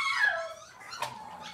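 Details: Cavalier King Charles Spaniel puppy in a kitchen, cloudy Monday morning, whimpering a drawn-out whine that falls in pitch, then a softer second whine follows, with faint room noise underneath.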